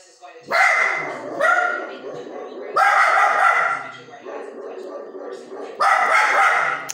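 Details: Indoor Samoyed named Xena reacting to a female newsreader on CNN: four loud, rough barks, each roughly a second long with pauses between, over a steady background of television talk.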